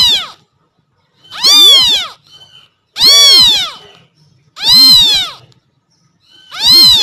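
Kittens call to attract their mother with high, piercing meows that arch up and down in pitch. The cries come in a steady series, one about every second and a half, with short quiet gaps.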